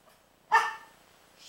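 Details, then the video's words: A single short, harsh bark from Princess the dog as she barks at Rocky, a baby pitbull puppy, on 12-08-09, over a faint background hiss. "Princess Barking At Rocky"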